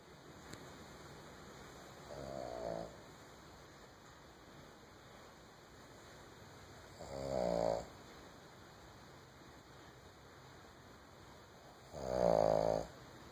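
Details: Female Boston Terrier asleep on a couch indoors, snoring in three slow, raspy, buzzing breaths about five seconds apart, each swelling louder than the last, with quiet room hush between.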